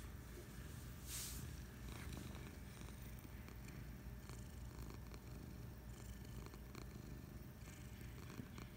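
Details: Purring from Patches, a pet cat lounging on the couch on a Friday afternoon: deep, even rumbling that pulses on and off with each breath, plus a short rustle near the start.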